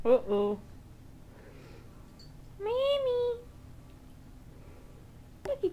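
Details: Indoor kitten scene with the mother cat nearby: one clear rising-then-falling meow lasting under a second, framed by brief bits of a person's murmured baby talk at the start and end, otherwise quiet room.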